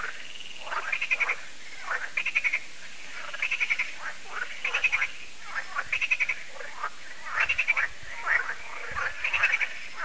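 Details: Frog chorus at Lac de Sabatte, a lake in France, in the evening as the annual frog concert starts: many frogs give rapid rattling, pulsed croaks in dense bursts about every second, overlapping continuously.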